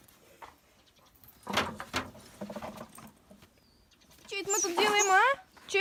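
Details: Neighbour village dog said to be "talking", likely the small dog Malysh, gives a rising, strained, harmonic whine-howl with wavering pitch in the last second and a half, after quieter speech-like sounds and a person talking.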